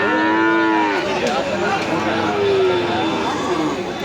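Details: Native deshi bull calf at a cattle market in Nandail, Mymensingh, Bangladesh: a drawn-out harmonic moo sliding downward in pitch, then a second, lower moo, over a steady din of market crowd noise.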